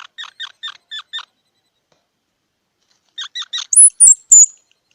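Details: Squirrel chirping: five short, evenly spaced harsh notes, a silent gap, three more chirps, then piercing high squealing whistles to finish.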